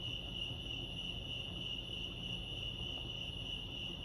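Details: Crickets at Lake Arrowhead in California chirping without pause, a shrill, evenly pulsed high tone with an upper harmonic, set against soft low-frequency ambient noise.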